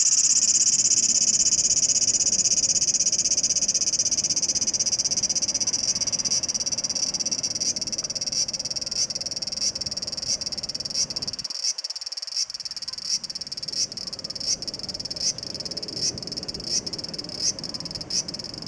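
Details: Large brown cicada perched on a house's screen door, recorded 2 August 2012, sustains a shrill, sizzling drone that fades slightly over time, with faint regular ticking pulses appearing in the later half.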